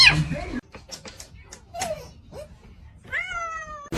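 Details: Cat giving a drawn-out, gently falling meow near the end, preceded by scattered clicks and a few faint squeaky calls, with a sharp loud noise at the very start.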